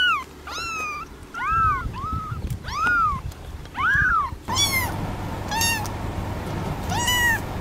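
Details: Kittens mewing in a fast sequence of arched, bending calls, several overlapping, over a low background rumble; later mews sound thinner and higher.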